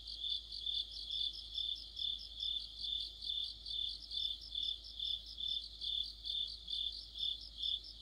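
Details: Dense autumn night-style chorus of crickets with other insects: a piercing steady trill topped by rhythmic chirping pulses, throbbing at an even pace of roughly two per second, with many voices overlapping.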